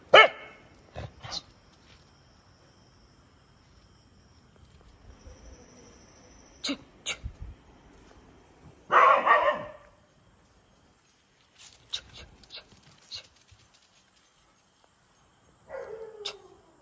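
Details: Street dogs active at night on a night-shift hunt: a harsh, noisy bark burst in the middle, scattered short yelps, and a falling whine near the end, with sharp clicks and knocks between calls in a quiet setting.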